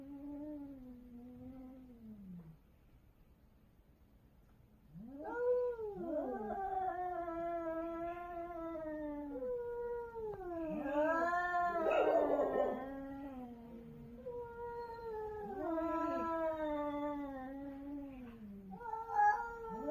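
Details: Korean cats in a territorial fight, crying loudly: low moaning yowl, a quiet gap, then overlapping drawn-out wails bending up and down, one harsher hissing burst midway, continuous tense exchange.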